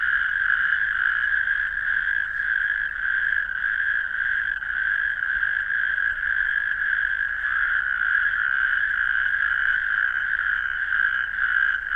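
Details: Natterjack toad. A chorus of natterjack toads fills the air with a loud, ringing, rasping trill. The churring calls overlap into one continuous purr with only slight swells in volume, and no other sounds stand out.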